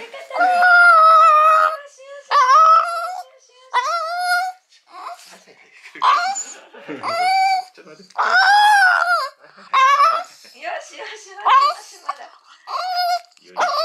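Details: Mame Shiba puppy Urara, about eight months old, sobbing on being collected after her spay operation. Short, tonal, yelping whines come in uneven bursts roughly every second, with people talking and laughing between them.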